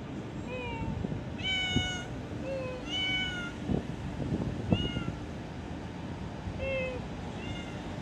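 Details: Nameless cat in an office giving a run of brief, bright meows, several in quick succession then spaced pauses, some slightly falling in pitch, against a constant low hum with scattered knocks.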